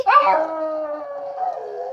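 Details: Pet dog howling along as people sing happy birthday on its third birthday; one sustained wavering howl lasting about two seconds, slightly falling at the end.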